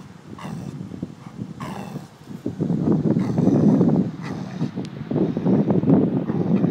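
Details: Giant Schnauzer named Ted growling over a bone, a low rumbling growl running continuously through the second half with rough pulsing texture, a few brief higher rustles early on.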